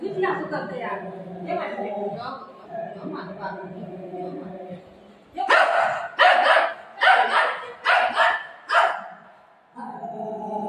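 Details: Golden Retriever playing with its owner; a woman speaks softly to the dog at first, then a burst of about six sharp, loud barks follows in quick succession before her voice returns.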